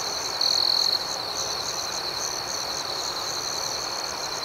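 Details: Nighttime crickets chirping outdoors, a continuous high, pulsing chorus with one louder, sharper trill standing out for about half a second near the start.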